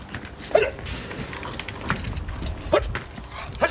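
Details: French and English Bulldog puppies: three short, high yelps spaced about a second apart, each a quick rising-and-falling squeak, over low room rumble and faint handling noise.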